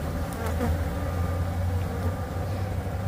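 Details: Thirty thousand bees clustered beneath a shed floor in a rescue, their dense, continuous low buzz forming an even drone with no breaks.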